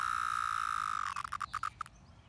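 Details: Brood X periodical cicadas in a Pennsylvania park, emerging after 17 years underground; a continuous whining drone runs for about a second, then breaks into about seven short pulsed bursts before fading to quiet background.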